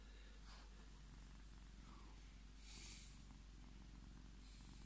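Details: Male Scottish Fold cat, a pet indoors, purring while demanding to be petted: a steady low rumbling purr with fine rapid pulsing throughout, plus a few brief soft rustles and a light hiss-like noise midway.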